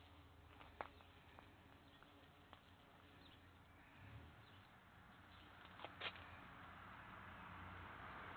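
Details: Low droning hum of bees, swelling slightly in places, with scattered sharp clicks and faint knocks over the buzzing.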